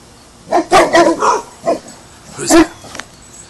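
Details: A dog from a household with an English mastiff and a Basset hound, learning guard duties, gives a few short loud barks, a cluster near the start and one more later, while a person repeatedly asks who's there.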